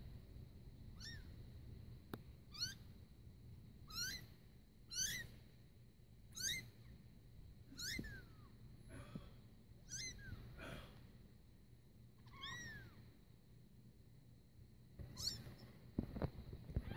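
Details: Kitten less than three weeks old crying for its mother, giving high thin mews in short falling notes repeated every second or so, with a pause near the end and a faint steady hum.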